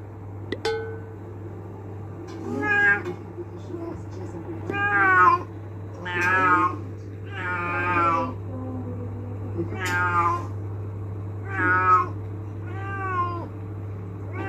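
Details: Moesa, a pet cat, meowing angrily to have a door opened: about eight loud, drawn-out meows, each rising then falling, repeated roughly every one to two seconds over a steady low electrical hum.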